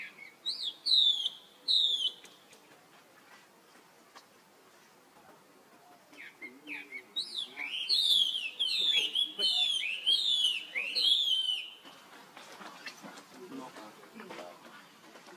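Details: Young monkey calling for help while an older sibling runs off: high, thin squeals sliding downward, given in two quick pairs and then a rapid run of about seven cries before fading, with faint background rustle.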